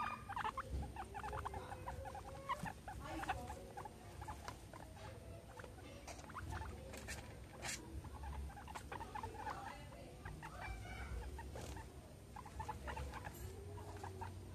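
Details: Pet guinea pigs Meadow and Sandstorm at playtime, surrounded by a soccer ball and an American football; scattered brief squeaks and chirps among pattering, shuffling and bumping noises, with low background rumble.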